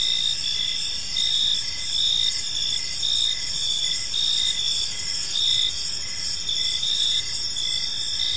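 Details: Evening chorus of crickets in a peaceful park, steady overlapping high chirping with a continuous shrill band and short pulses repeating in a regular rhythm, no other clear sounds.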